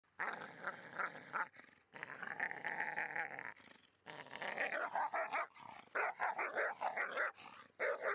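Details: Labrador Retriever, female, playing with a Staffordshire Bull Terrier and making most of the noise; continuous growling and grumbling with short barky bursts, rough snarling roughly every second, brief pauses between bouts.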